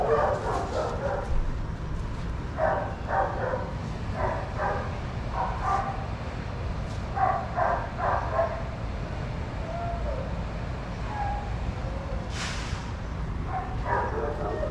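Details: Adoptable shelter dogs playing and running together at a daycare give repeated bursts of barking, short yaps arriving in quick clusters every second or so, over a steady low rumble of background noise.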